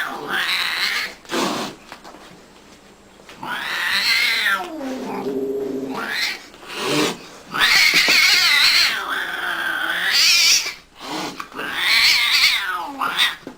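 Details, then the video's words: Female cat, angry with her owner, giving long drawn-out wailing yowls that rise and fall, in several bursts separated by short pauses, indoors. "VERY ANGRY WITH HER OWNER || Angry 🐱 cat"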